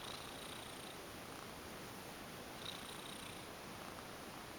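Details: Indoor female cat, formerly a stray, lies limp under a massage and purrs; a faint, continuous low rumble with light brushing sounds near the start and after two and a half seconds.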